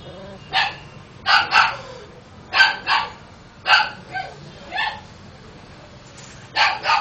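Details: Chow chow and spitz cross puppies yapping in short, sharp, high barks, mostly in doubled bursts spaced about a second apart, with brief quiet gaps between.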